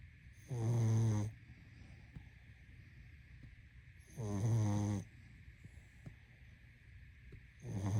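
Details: Pug asleep and snoring: drawn-out, harsh, low-pitched breaths recur roughly every 3.5 seconds, with a faint constant hum between them.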